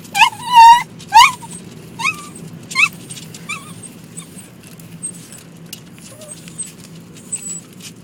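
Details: Dog riding in a car, upset by water striking the car: two loud rising whining yelps, then a string of shorter, fading yips spaced under a second apart, with a low engine drone throughout.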